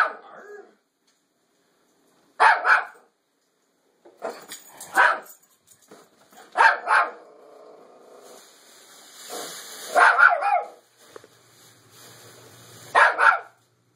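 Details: Bandit the Toy Fox Terrier barking at a fake deer received as a birthday gift; single and doubled sharp barks spaced every few seconds, with whining between and some hissing rustle in the background.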